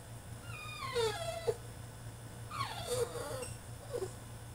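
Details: Caged French Bulldog in a tantrum, giving two long wailing whines that fall steeply in pitch, each ending in a short yelp, with a low mechanical hum underneath.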